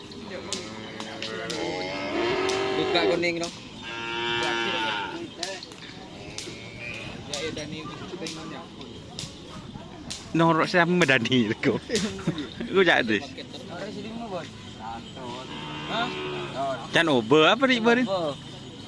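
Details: Cattle during karapan sapi bull race training at the Asemanis field, Pamekasan: several drawn-out, harmonic lowing calls rise and fall in bursts across the recording, mixed with background music and crowd chatter.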